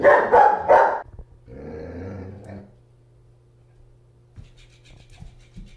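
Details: German Shepherd Bear with his floppy fish toy gives three quick harsh barks at the start, then a low drawn-out vocal sound, followed by a steady hum and faint tapping.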